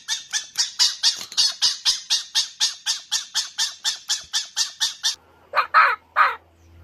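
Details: Harsh, rasping cackle from a fox, a steady stutter of clipped throaty bursts about three per second, ending with a couple of louder hoarse squalls.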